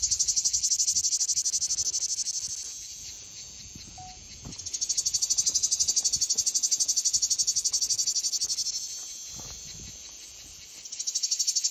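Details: Cicada song rising and falling in loud surges of shrill, pulsing buzz that last a few seconds each, separated by quieter stretches of continuous hiss.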